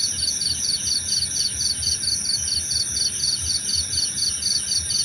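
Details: Crickets calling in a calming nature recording for sleep and meditation, with short high pulsed chirps repeated about twice per second over a steady whining insect drone and low background rumble.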